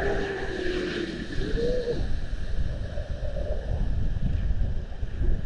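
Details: Young seals on an Estonian seal camera, 19 February 2020: one long, steady, low moaning tone slides upward into a brief higher note, partly buried under heavy wind and surf noise.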